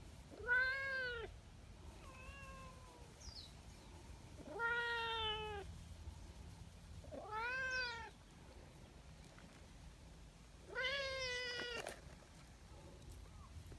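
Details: Affectionate brown tabby community cat with a loud voice, coming down from a hillside to greet a visitor; four loud, drawn-out meows that rise then fall, spaced about three seconds apart, with a couple of softer, shorter mews between them.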